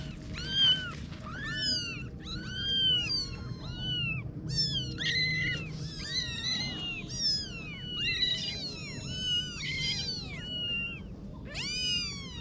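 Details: Several kittens meowing in a steady overlapping chorus, high-pitched arched mews tumbling one after another with almost no pause, some rising then falling, a low background hum throughout.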